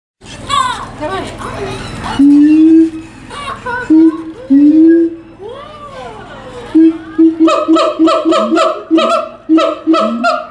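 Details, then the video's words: Siamangs at the Tulsa Zoo on 21 December 2017, in a "caroling" session: swooping hoots and low sustained tones, then a fast run of sharp, evenly repeated barks building toward the end. "Siamang "Caroling""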